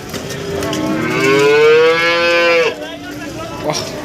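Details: Cattle at a livestock market in Nganjuk, East Java, Indonesia, where breeding cows and cows with calves are sold: one long, drawn-out moo that slowly rises in pitch for over two seconds and then breaks off, followed by a short distant call and market noise.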